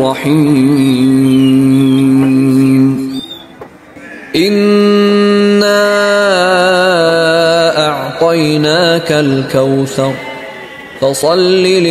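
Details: Chanted vocal music with sustained, wavering melodic lines over a steady drone, pausing briefly near the third second before resuming; no animal sounds are heard.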